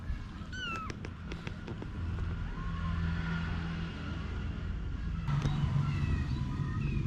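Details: Mother cat Anna with her kittens: a few short, high arched mews come early, with fainter ones later, under a constant low rumble like passing traffic.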